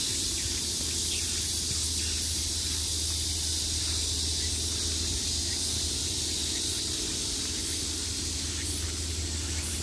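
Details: Cicadas in summer, a steady, dense, hissing buzz high in pitch that holds without a break for the whole stretch, over a low constant hum.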